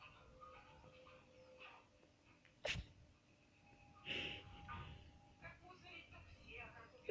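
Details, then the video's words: Ferret washing itself and sneezing indoors: one sharp, sudden burst of a sneeze near the middle, then softer snuffling puffs and faint rustles over a quiet steady hum. "Хорёк умывается и чихает"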